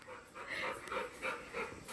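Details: Panting of a pet Labrador named Golden, kept by a family at their village home in Kalsuli, which plays all day; soft breathy bursts rise and fall about four times in two seconds, with faint background hum.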